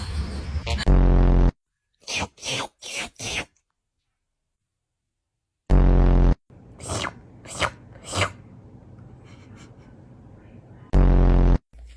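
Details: Short bursts of wet smacking and licking come in two clusters, framed by heavy low thumps and rumbles from close handling. No animal calls are heard.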